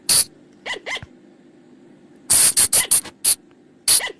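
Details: Flying lemur calls played to lure them after dark: a sharp, noisy burst, two soft upward-sliding squeaks, a pause, then a quick run of five harsh bursts and one more, over a low drone.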